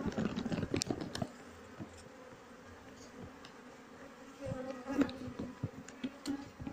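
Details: Honey bees of a colony being transferred into a hive box, with the queen already placed inside. A low, continuous buzz is broken by frequent knocks and handling thumps, and it swells again in the last seconds.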